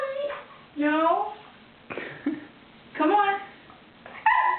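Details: Wolfie, a Siberian Husky, objects to being coaxed into a bath indoors. A few short, rising, whiny cries come about a second apart, between bursts of a person talking.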